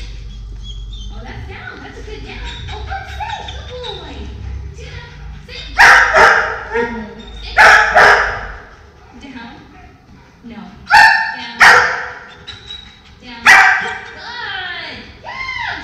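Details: German Shepherd with aggression problems, filmed on drop-off day for a two-week training program, letting out about five loud, harsh barks spaced a second or more apart, over background music that fades midway, with voices in the background.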